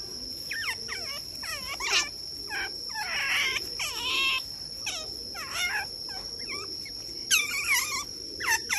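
Young smooth-coated otters give rapid, high squeaky chirps over a steady insect-like whine.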